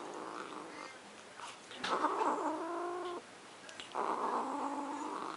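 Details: Pet cat Luna defending her macaroni and cheese with a low, wavering moan that swells into a louder harmonic yowl, then breaks off and starts again after a short pause.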